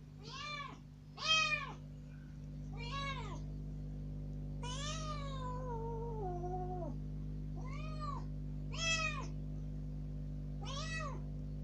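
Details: Kitten rescued three days earlier, loose in a room for the first time and pleading to go out, gives a run of loud meows including one long, wavering, falling cry in the middle; indoor hum throughout.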